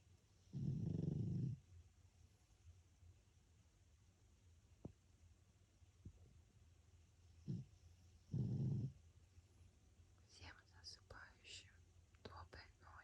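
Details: Pug named François snoring while asleep: two low, rumbling snore bursts about seven seconds apart, each lasting roughly a second, with soft whispering near the end in a quiet indoor setting.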